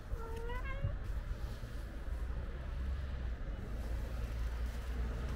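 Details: Outdoor stray cat, white with a gray tail, waiting beside a kitten; one short upward-bending meow at the start, then only a constant low rumble of street noise.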